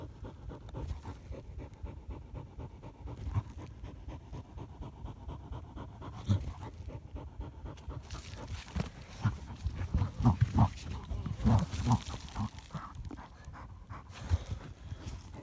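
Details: German Hunting Terrier (Deutscher Jagdterrier) during a badger hunt, panting hard in rapid, uneven low breaths, roughly three per second, with rustling and scuffing around it and a louder stretch of movement near the end.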